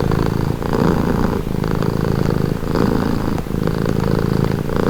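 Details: A pet cat's soothing purr, deep and buzzy, alternating inhale and exhale phases about every second and a half, steady and close.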